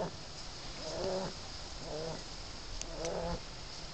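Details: Nine-week-old Shar Pei puppy snoring in its sleep, recorded on an Android phone: three soft, wheezy, faintly whistling snores, each about a second apart, over constant background hiss.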